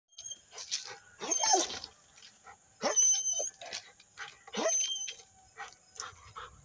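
A Rottweiler gives a few harsh, thin-sounding barks spaced a couple of seconds apart.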